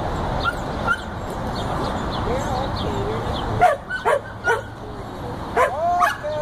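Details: A 14-week-old Border Collie pup herding sheep outdoors: soft sliding whistled tones and murmuring in the first half, then a burst of short, sharp barks and yips spaced irregularly over the last three seconds.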